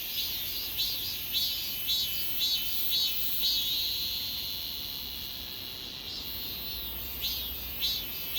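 A shrill, continuous cicada drone fills the air, pulsing in brisk surges roughly every half second. The pulses fade for a moment midway, while the underlying buzz holds steady, then pick up again.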